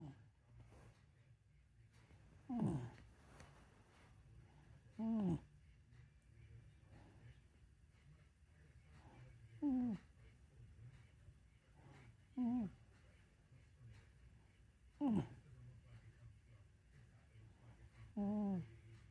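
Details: A sleeping Dachshund snores in a quiet room, each snore a short nasal wheeze that dips and wavers in pitch, repeated about every two and a half seconds with near silence between.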